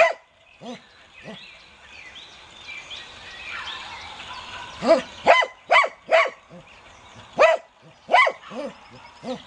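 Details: American Cocker Spaniel (Canis lupus familiaris), bark.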